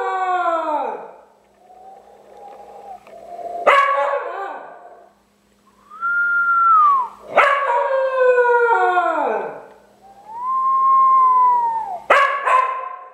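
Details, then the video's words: Howling pet dog Cooper answers an owner's unusual whistling; smooth arched whistle tones alternate with long falling howls and sharp yelping onsets, three exchanges across thirteen seconds. "I made my dog howl!?"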